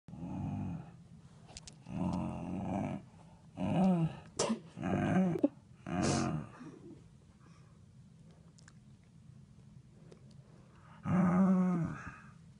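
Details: Kiwi, a Glen of Imaal Terrier indoors, reacting to an m&m face phone cover: low, throaty grumbling growls in roughly one-second bursts, about six over twelve seconds, with sharp clicks between them and a quiet room behind.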